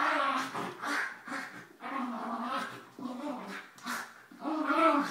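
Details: Dogs playing during a morning routine at home: an 11-year-old Mini Schnauzer named Einstein tussling with Suzi, a 9-year-old Basset, while Emma, a 2-year-old Yorkie, joins in. Continuous throaty growls and whines in rough bursts, with a person's excited voice urging them on.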